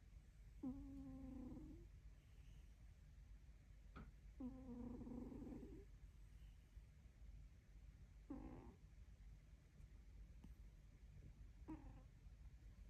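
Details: Sated dog snoring: two long, buzzy, humming breaths followed by two shorter, clipped snorts, with soft clicks and a low hum between them.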